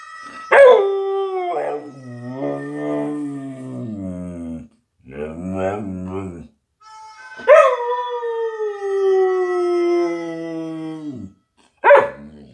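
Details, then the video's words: Samoyed dog howling along to the song School by Supertramp. Long, wavering howls slide slowly downward, broken by short yelps. Steady musical tones play underneath. "Samoyed Mac howling to School by Supertramp"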